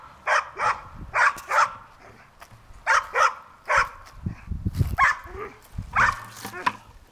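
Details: Bruiser the Bulldog barks in quick bursts while playing with a bucket, pairs of sharp barks separated by pauses, with low rumbling and bucket knocks in the gaps.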